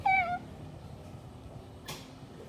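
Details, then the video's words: A cute pet cat, looking toward a speaking sound, gives one short meow that falls slightly in pitch. A brief burst of noise comes later against a quiet room background. "Cute cat looking at the speaking sound"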